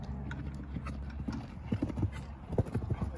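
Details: Green Thoroughbred mares, ex-racehorses retired from racing in September, at an off-property jump school on their first courses, about their fifth time jumping. Irregular thudding hoofbeats cluster in the second half, with brief human voices and a low steady background rumble.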